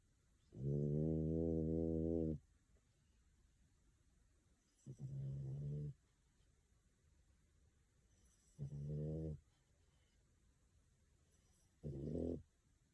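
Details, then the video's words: Pico, a female French Bulldog born September 2020 and living in Tokyo, snores during a daytime nap while her eyes move and her legs twitch. Four low, buzzy, harmonic snores: a long one, then three shorter ones spaced about three to four seconds apart. "衝撃のいびき生音！眼球動き手足もピクピクさせながらお昼寝ワン！【フレンチブルドッグ frenchbulldog】"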